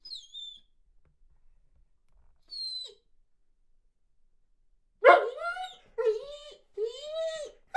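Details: Weimaraner pining while boarded away from home, joined by a small dog howling along: thin high whines at first, then a burst of loud, harsh barks and yelps in quick succession.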